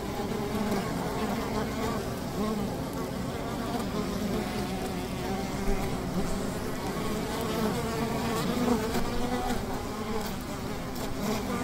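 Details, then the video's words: Honey bees humming at their hive by the river, a steady low drone layered with wobbling higher tones, even in loudness from start to finish. "Calming Honey Bee ASMR - 150 Hz Buzzing Bee Hive by the River"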